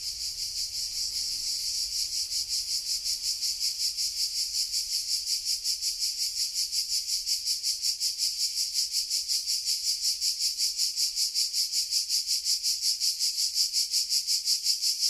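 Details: Summer cicada chorus in Sardinia at 13:00 in July 2020: a loud, continuous high-pitched rasping drone with fast regular pulsing, growing slightly louder over fifteen seconds, no other sounds.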